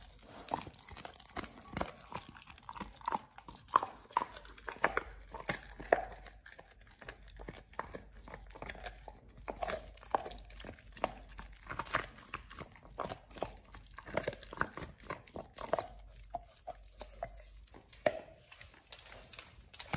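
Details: Oliang, a Pit Bull, working through a raw ostrich paw, his first, fed as a tooth-polishing jaw-exercise treat; long stretch of dense crunching, tearing and crackling bites with brief pauses, close up indoors.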